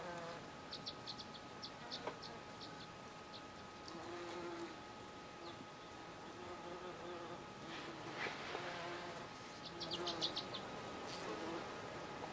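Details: Bees at blue flowers in July 2013, a low droning buzz rising and fading as they fly close, with a steady hum behind and bursts of high chirping birdsong.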